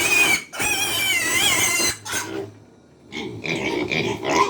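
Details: Hungry pigs on a farm at feeding time squealing loudly: long shrill wavering squeals, then a short pause and bursts of harsher squealing.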